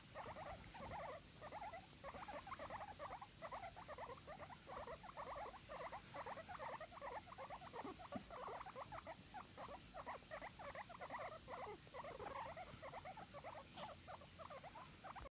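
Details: Guinea pigs at bedtime cuddles keep up a dense, continuous chattering of quick low-mid pulses, evenly repeated and softly grainy, against steady background hiss with a small click near eight seconds.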